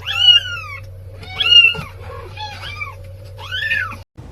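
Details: Domestic cat meowing four times in about four seconds, each meow a drawn-out, bright, arching wail rising then falling, over a steady low electrical hum, with people talking just before and after.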